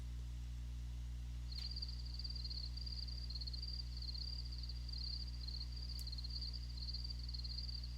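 A cricket chirps in a continuous high, shimmering trill of rapid pulses, its way of talking to other crickets. A deep steady hum sits underneath throughout.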